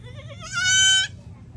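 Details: Goat, said to be hungry, answering its keeper's call: a single wavering, nasal bleat of about half a second, rising slightly at the end, over low background hum.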